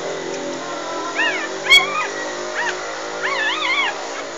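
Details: Three-day-old English Bulldog puppies from a litter of six, three females and three males, nursing on their mother Maggie; high arched whimpering squeals come in short bursts, several stacked and wavering, over a steady background hum.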